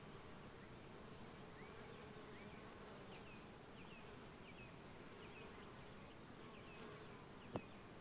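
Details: Honey bees recorded in 2015 make a steady, low droning hum, with faint chirps in the background.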